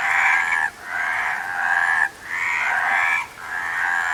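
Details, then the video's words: Several frogs croaking together in long, buzzy, rattling bursts. Each burst lasts about a second and is followed by a brief pause. "Frog Sound"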